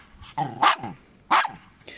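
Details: Indoor barking from a Jack Russell Terrier, one of the pair Treisy and Azzuro: two loud, sharp barks about seven tenths of a second apart, with a faint voice and soft room noise around them.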